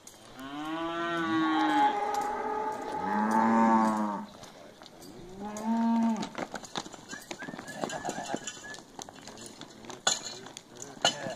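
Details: Heifers from a lot of nineteen, aged one and a half to two and a half years, lowing: two long harmonic moos in the first four seconds, a shorter one near six seconds, then clattering and faint background sounds.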